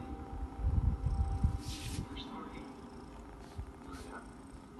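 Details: Teddy, a sleeping pet cat, snores in low rumbling bursts clustered in the first second and a half, then fades to a soft murmur, with a television voice talking in the background throughout.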